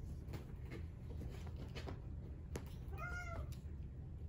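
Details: Brown tabby-and-white male Exotic Shorthair kitten born 4/6/2021, giving one short, quiet, slightly falling meow near the end after a stretch of faint clicks and soft knocks over a low indoor hum.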